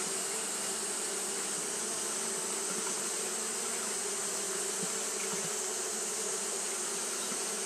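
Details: On a hot day, Japanese honey bees keep up their fanning behaviour, giving a smooth, sustained buzzing drone with a few brief louder flickers, beneath an ever-present high hiss.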